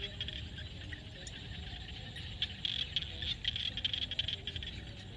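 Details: Frogs calling in a field at sunset in Cambodia, a natural recording: dense high rattling chorus with quick pulsed notes bunching up midway, over a steady low rumble of background noise.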